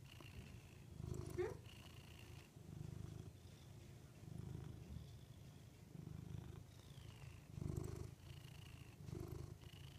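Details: Low, continuous purring from Rudy the pet cat, rising and falling in soft rhythmic waves roughly every second and a half, broken once early by a short squeaky chirp.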